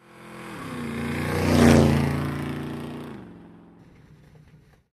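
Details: A motor vehicle approaches, roars past with rising and falling engine hum, then fades away.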